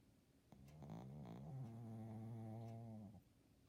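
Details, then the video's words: Snoring from a sleeping Shih Tzu at home: one drawn-out, low, buzzy nasal breath with rich harmonics that rises briefly, then holds steady for about two and a half seconds before stopping abruptly. "Snoring Shih Tzu"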